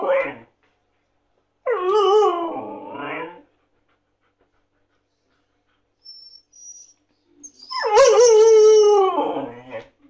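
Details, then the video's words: Siberian Husky begging for food: short yelp, then a wavering moaning howl near 2–3 s, quiet gap with faint squeaks, then a loud rising and falling harmonic howl from 8 s. "Хаски Юла просит кушать"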